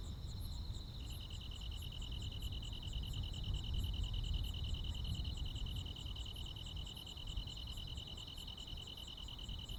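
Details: Summer-night countryside chorus of crickets and insects. Two close high trills overlap at first, then one drops out after about a second, leaving a continuous fast-pulsed trill, faint higher ticks and a low background hum.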